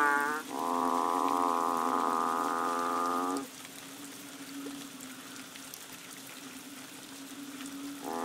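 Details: Banded bullfrogs calling during the rains on Koh Lanta, Thailand, in March: a long, deep mooing note of about three seconds, rich in harmonics, then a continuous low chorus hum, with another moo beginning at the end.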